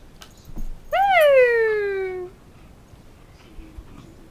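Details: A pet puppy named Homer, playing fetch indoors with his favourite tennis ball, gives one drawn-out whine lasting just over a second: it rises briefly, then slides slowly downward, clear and tonal in a quiet room.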